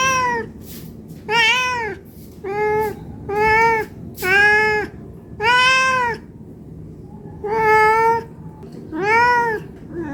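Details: Cat begging for food out of hunger, a steady run of about eight meows, each short and arched with rich overtones, coming roughly every second with brief silent gaps.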